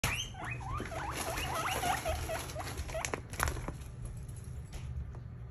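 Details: Pet guinea pigs near the camera give a quick run of short rising squeaks, several per second, then soft clicks and rustling handling noises.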